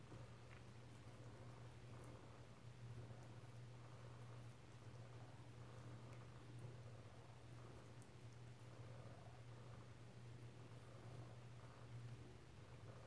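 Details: Kittens at home in Alabama, filmed close-up on 7 February 2018; a soft, steady low purr rumbles under a constant electrical hum in a small indoor room.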